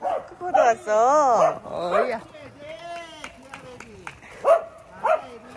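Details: Pet Welsh Corgis greeting visitors in excitement give a long drawn-out wavering whine that swells and bends in pitch, followed by shorter whimpers and yips under steady human chatter.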